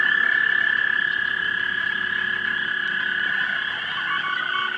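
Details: Mating frogs around a pond at dusk, March 2011, 3 megapixel camera: many callers in a constant rapid trilling chorus, loudest at the start then slightly softer, a few brief lower notes near the end.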